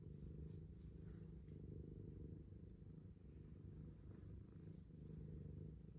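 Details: Cat purring as a steady, low rumble throughout, with faint pulsing and a quiet background hiss.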